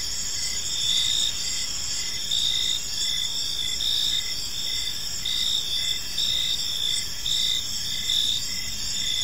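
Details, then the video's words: Crickets in a serene park as evening falls, layered high-pitched trills running continuously while shorter chirps repeat in an even rhythm, light low-frequency ambient noise. "Cricket Sounds in a Peaceful Park"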